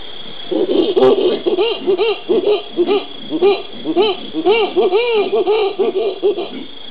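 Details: Howler monkeys (Alouatta) in Brazil's Pantanal, recorded 13 January 2011: a run of loud, hooting, arched tonal calls, each rising and falling, repeated rapidly in uneven bursts with rich overtones and a steady high hiss behind.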